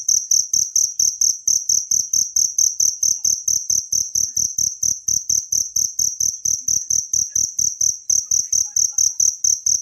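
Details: Wild cricket chirping, used as masteran training sound for songbirds in Indonesia: a high, pure ringing chirp repeated in a steady stream of short pulses, about two per second, with faint low thumps beneath and no other sounds.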